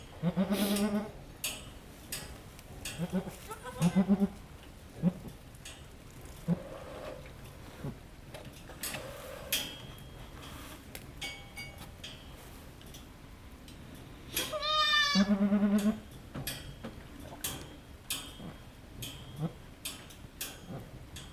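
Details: Goat at a farm giving birth to triplets, second kid arriving; several short bleats in the first five seconds, then one long strained bleat near fifteen seconds, amid rustling, clicks and low voices.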